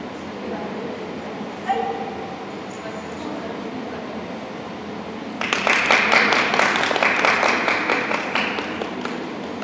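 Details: Border Collie Shepville Gamble competing in Obedience-1 at the St. Petersburg Cup, 11 February 2018; after quiet hall murmur and a faint voice, a burst of sharp, loud barks comes rapidly, about two per second, for three seconds, over steady indoor background noise.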